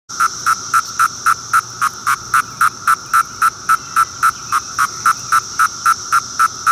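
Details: Magicicada septendecim periodical cicada giving its Court III call: short buzzy pulses repeated very regularly, almost four each second, about twenty-five in a row at steady loudness, with no other sounds.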